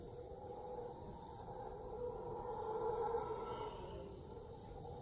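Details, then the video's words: Jungle howler monkeys near Puerto Viejo, Costa Rica, giving a distant, hoarse roaring chorus that builds to a peak midway, then eases off, set against a dense insect drone. "Puerto Viejo, Costa Rica Howler Monkeys"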